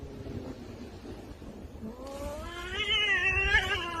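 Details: Domestic cat in a funny compilation, giving a drawn-out, wavering yowl that rises and warbles after the first two seconds, over steady background noise.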